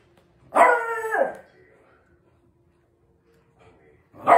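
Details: Little beagle puppy at play with its dad gives a loud, drawn-out yelping bark that slides downward in pitch, then a pause of near silence before another bark begins.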